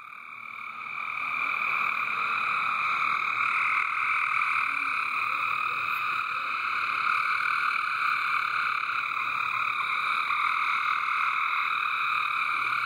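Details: A loud chorus of many frogs in a backyard water garden, a dense continuous trilling drone with bands around the middle and upper range, steady throughout after a quieter opening second.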